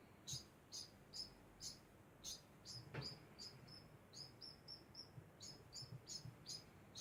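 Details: A degu calling nonstop: short, high chirps repeated about twice a second, each a brief bright note with a fainter overtone above, with a soft click near the middle and low background hum.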